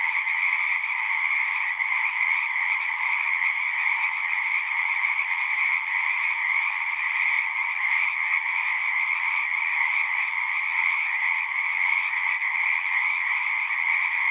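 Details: Pond in a horse pasture, captured with a Zoom 6, where many frogs sing together in a continuous shimmering drone of rapid trills, level and unchanging throughout, with no gaps.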